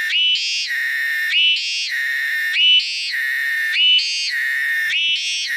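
A cicada sings a loud, continuous whining drone that steps up in pitch and drops back about once a second.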